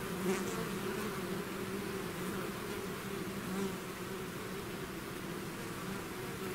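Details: Swarm of bees out of its hive; constant layered buzzing hum, low and even, with a few nearer bees briefly swelling above the drone.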